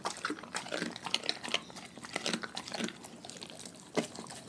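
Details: Raw-fed dogs chewing their food: dense, sharp crackling crunches in quick irregular runs, with one loud snap toward the end, in a small indoor space.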